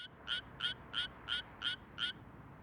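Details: A Suwon treefrog in a healthy rice paddy in mid-June gives bright, clipped, metallic advertisement calls, about three per second, singing even in broad daylight while predators are active; the species is endangered.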